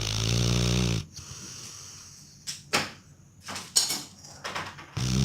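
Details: Pluto, a Labrador Retriever, snoring. A low, buzzy, rumbling snore opens the clip and returns at the end. Between them are quiet breathing and a few soft knocks and clicks.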